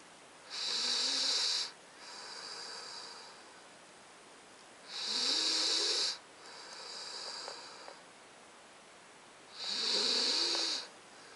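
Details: Titan, a nine-week-old Alaskan Malamute puppy, sleeps and snores: three strong raspy inhales with a faint whistling whine, about every four and a half seconds, each trailed by a quieter sighing exhale.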